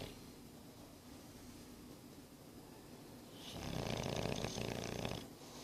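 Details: Nine-month-old English Bulldog Boris asleep and snoring; after three quiet seconds comes a single strong, harsh, vibrating snore of nearly two seconds, broad and rattling.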